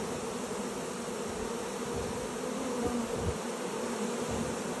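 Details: A honey bee swarm entering a new hive fills the air with a steady, dense, low buzzing hum.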